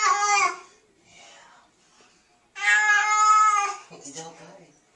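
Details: Kitten being reassured that it is just water gives two short, clear meows about three seconds apart, with quiet speech and handling sounds between them.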